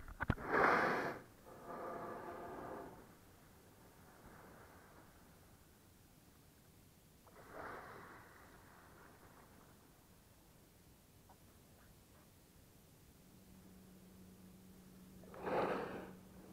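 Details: Whales surfacing beside sea kayaks in Bahía de las Conchas, next to Bahía Magdalena, Baja California Sur, on a perfectly calm sea. Three loud, rushing, broadband exhalations come near the start, middle and end, roughly seven seconds apart. A faint steady hum is heard late on.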